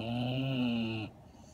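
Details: A 1½-year-old female Redbone Coonhound asleep with eyes open and tongue out in Syracuse, NY, 2.6.17, produces a loud, even, droning snore of about one second that cuts off abruptly into quiet room hiss.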